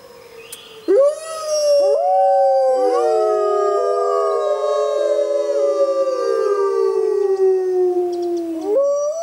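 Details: After a quiet second of faint background, wild grey wolves break into howling under a full moon in jungle, multiple long smooth tones starting together, slowly descending in parallel, then a new rising howl at the close.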